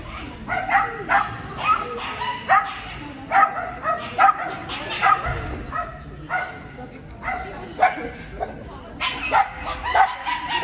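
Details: Scottish Terrier, a female, at the Swiss Agility Championships 2022 in Switzerland: short harmonic barks and yips repeated roughly once a second over a murmur of crowd speech.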